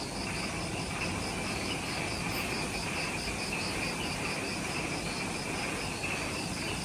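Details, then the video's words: Ishigaki Island jungle insects, Okinawa, Japan, at twilight just after sunset: high pulsing trill bands persist but are partly masked by heavy broadband noise throughout. "Relaxing Jungle Ambience with Insects"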